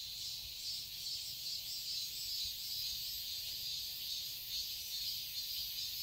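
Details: A summer cicada chorus in a garden in Seoul, Korea, fills the air with a high, continuous, shimmering buzz.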